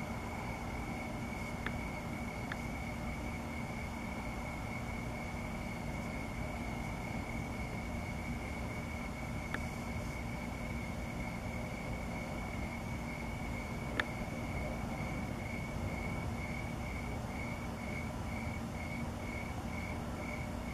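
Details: Crickets chirp steadily at night under the full Sturgeon Moon with clouds passing on 8/6/2017, a high, even trill breaking into pulses over a low rumble.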